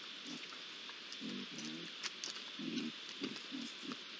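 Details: Short, low, throaty growls and grumbles come in quick bursts from three young Iberian lynxes at a pond, recorded 8 July 2022, set against a steady hissing background.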